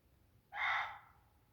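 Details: A Reeves's muntjac stands in bracken 20–30 yards away in Sherwood Forest, Nottinghamshire, on a warm, sultry July 9th night. It gives one loud, hoarse bark about half a second long that starts abruptly and reverberates through quiet, tinder-dry woodland.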